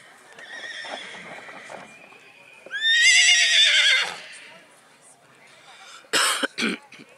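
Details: Black Forest draught horse filly, born 13 May 2022, at a foal show in Kohlenbach, Germany, 13 August 2022. A loud, quavering whinny of about a second follows quiet talk and hoof sounds, then sharp knocks.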